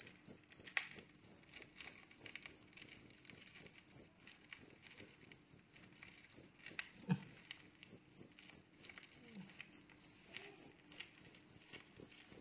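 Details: Rapid, regular high chirping from a large cricket, pulses repeated about 200 times a minute over a continuous shrill tone, soft low clicks underneath.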